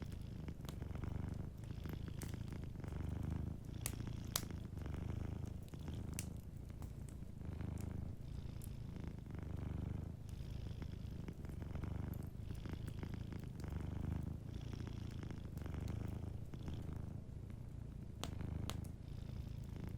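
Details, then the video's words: Continuous low purring of a sleeping cat at a cozy fireside, the rumble pulsing in even cycles of about a second and a half across the whole stretch, with frequent crackles and pops of burning wood. "a Sleeping Cat 🐱💤Fireplace & Soft Purring"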